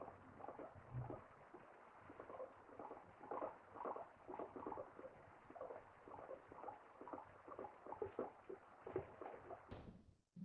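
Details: Guinea pig. A guinea pig gives a run of short, mid-pitched squeaks, several each second, rising and falling in loudness. The chatter is soft and continuous, with a faint room hum beneath and a brief clatter at the end.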